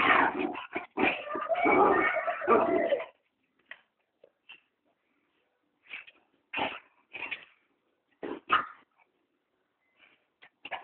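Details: Two dogs playing in a yard, chasing a ball: a burst of rapid rough yips and barks in the first three seconds, then scattered short yelps and whines with quiet gaps between.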